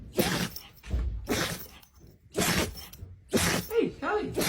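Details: Dog sneezing: four sharp, explosive bursts spaced about a second apart, each a broad noisy blast, with faint voices in between.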